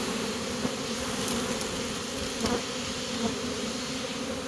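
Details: A caught honey bee swarm marching into its new home gives a steady, dense hum, with scattered soft taps and clicks around the first and third seconds over the drone.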